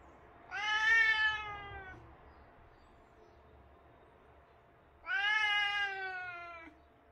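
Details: British Shorthair cat meowing during the day: two long, drawn-out harmonic meows about four seconds apart, each slightly falling in pitch at the end, over a quiet background.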